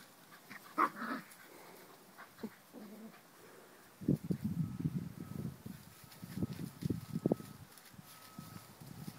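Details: Puppies playing with a pine cone, a female teasing her brothers: a couple of brief yelps early, then a long run of low, rumbling play growls in uneven bursts.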